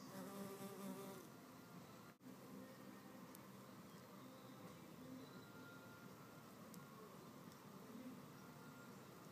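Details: Solitary red mason bees in a fight to keep a nest cavity: a continuous low humming buzz with a faint higher harmonic that swells at the start, then steadies, with a brief click-like break near the two-second mark.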